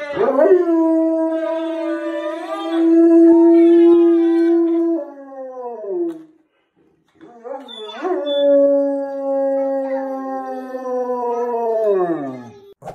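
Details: Pet Rottweiler howling in a singing duet with a little girl: two long, steady, tuneful howls of about five to six seconds each, both sliding downward at the end, with a brief silent pause between them.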